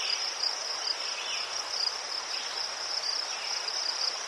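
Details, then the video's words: High, pulsed chirping of crickets in Ukraine, somewhat softer and more uneven, with brief lower chirps and a faint hum under the steady insect chorus. "Заспокійливий звук цвіркунів//The soothing sound of crickets"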